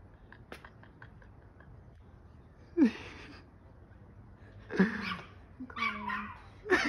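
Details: A Chihuahua gives sharp, high-pitched barks in short, uneven bursts, as it usually does when looking for cats.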